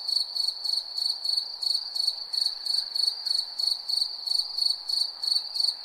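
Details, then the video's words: Crickets chirping at night, a steady high-pitched trilled chirp repeated about three times per second in even pulses, with a faint low hum of other insects beneath. "crickets chirping sound"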